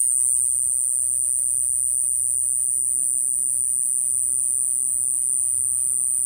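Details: Constant thin, high electric-sounding buzz from an Iwasaki grass cicada (Mogannia minuta) in Okinawa, unbroken from start to end, over a low hum and light background noise.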